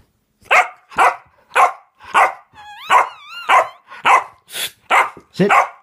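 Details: Female Boxer puppy playing with a cat toy on a string, spinning round and round: about ten short barks, one every half second, one with a rising-falling yelp, while a woman talks in Dutch.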